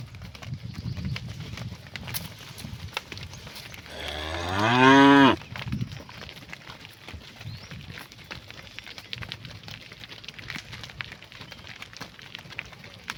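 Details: As cows head home to the barn in the afternoon, one cow calls to its herd with a loud moo of over a second that climbs in pitch and ends abruptly, with faint rustling and footsteps before and after.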